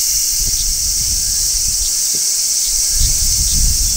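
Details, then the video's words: Large brown cicada on a tree in midsummer, shrilling in a constant high-pitched buzz, with faint brief chirps above it and low rustling or wind beneath. "Cicadas Singing in Midsummer | Large Brown Cicada"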